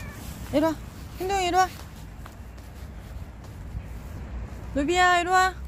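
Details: A stray cat named Ruby, described as mischievous, lets out three bright arched meows, two close together and one after a pause, over a low steady background hum.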